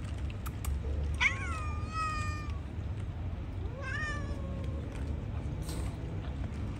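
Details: Hungry outdoor cats being fed fish; two clear meows, a long falling cry near one second and a shorter one near four seconds, over steady low traffic-like rumble.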